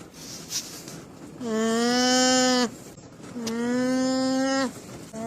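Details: Two long, steady, nasal alpaca calls of about 1.3 seconds each, rich in harmonics with nearly level pitch that sags slightly at the end, separated by a short pause and followed by the start of a third.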